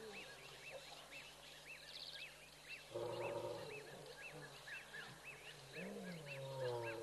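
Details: Lions at Tembe, seemingly bored, roar in the African bush: two deep, rasping roars about three seconds apart, the second sliding into a lower moaning note, over repeated arched bird chirps and a soft insect buzz.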